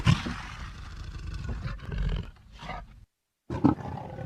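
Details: Leopard roaring: a deep, rumbling, growly roar for about three seconds, mostly low-pitched with a rough texture, then a brief cut to total silence and a short final growl.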